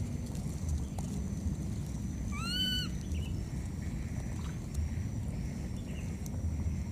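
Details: Lost wild baby monkey calling for its mother: one clear, tonal, harmonic-rich cry that rises quickly and then holds level for about half a second, over a steady low rumble with a thin high whistle running through the background.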